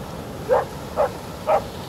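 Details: A Border Collie on a beach barks at the waves with short, sharp barks at an even pace, about two each second.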